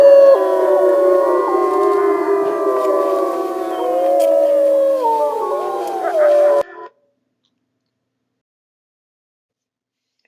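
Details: A wild gray wolf pack in Yellowstone National Park gives a chorus howl, many overlapping voices rising and falling in long, wavering tones.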